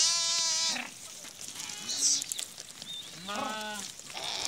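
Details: A flock of sheep, brought from Rukum East, returns to its shed after grazing in the forest at Musikot, Rukum West, Nepal; loud harmonic bleats rise and fall with short gaps, several animals calling in turn.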